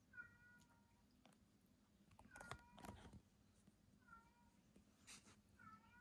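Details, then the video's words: A pet male cat, the second-born of the household, meows for attention and acts doglike while an older cat is isolated with cat flu; short, soft falling meows in a quiet room, a few repeated, with light bumps and rustles. "次男坊猫、甘えたすぎて犬化する My second cat was like a dog"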